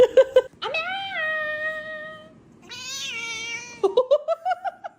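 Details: Indoor cat gives a few short chirps, then two long, clear, drawn-out meows, the first steady and fading, the second higher and sliding down, ending in a rising run of quick mews.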